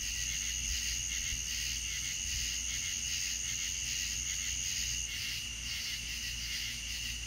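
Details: Crickets at night in the Deep South, a dense chorus of high, shrill pulsing trills overlapping steadily, with a sustained piercing whine on top and a faint low hum beneath.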